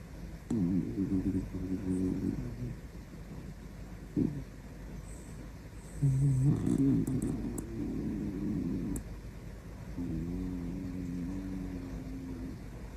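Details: A Shiba Inu snoring in the middle of the night, loud enough to wake its owner: three drawn-out, buzzy, layered snores, each lasting two to three seconds, with a brief click between the first two and a faint steady room hiss.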